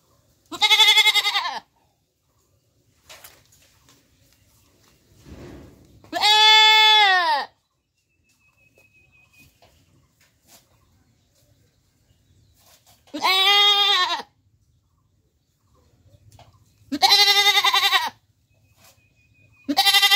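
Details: A goat in Bangladesh bleats loudly several times, each call a wavering, nasal cry lasting about a second.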